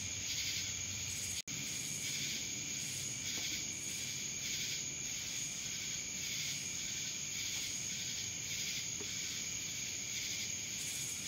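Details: Steady shrill cicada chorus recorded in Dallas, Georgia, a constant high whine overlaid with pulsing bursts at irregular intervals, briefly cut by a sharp dropout early on.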